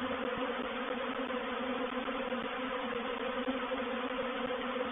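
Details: Reproductive honey bee swarm moving into a bait hive at Painted Peacock Manor, 04/07/21; an unbroken, uniform buzzing drone of many bees, steady in loudness throughout.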